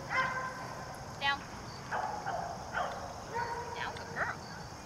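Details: Seven-month-old German Shepherd named Maci during dog training in Raleigh Durham, giving a run of short, high, tonal whimpers and yips at roughly one-second intervals, some ending in a quick upward squeak, over a low steady background hum.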